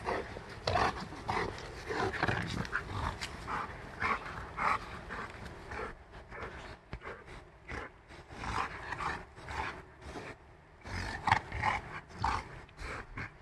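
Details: A five-month-old Rottweiler plays with a five-year-old dog, growling in rough, rumbling bursts that rise and fall in uneven runs.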